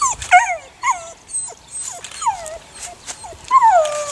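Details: Eight-week-old puppies from a litter of six born to the neighbour's dog Sunny, giving a run of high, thin whimpers that slide downward, several overlapping pups calling every half second or so with short yips between.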